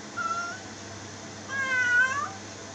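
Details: Cat meowing twice: a brief thin meow, then a longer, louder one that wavers slightly before dropping at the end, with a low hum beneath.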